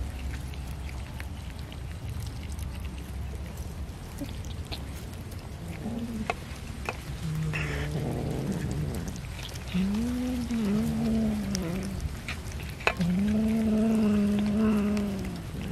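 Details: Cat being fed fish, giving several drawn-out meows with wavering pitch in the second half, amid steady rain-like background noise and low hum.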